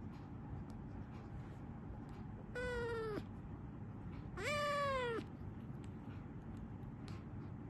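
Two clear meows come from a Persian cat, each lasting under a second, the second louder and a little lower. A steady low rumble runs underneath throughout.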